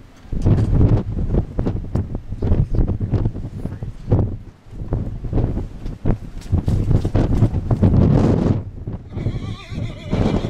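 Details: A purebred Arabian mare galloping and bucking in her field. Heavy, thudding hoofbeats run throughout, and a shaky, rising whinny comes near the end.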